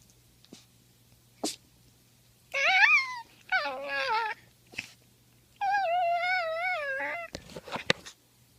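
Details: Poodle indoors making funny noises: drawn-out, wavering whines that bend up and down in pitch, three long bouts of about a second each, with a few short clicks and taps between and a faint steady hum.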